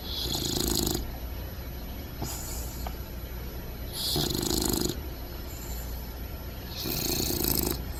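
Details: Bulldog puppy Bentley, upside down and snug, snoring loudly in his sleep; four rough snoring breaths arrive about every two seconds, each a broad buzzy rasp, over a low constant hum.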